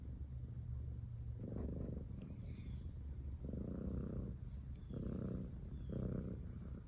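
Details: A cat purrs in a deep, rolling rumble, swelling in four bursts of about a second each between quieter low hum, with faint rustles above.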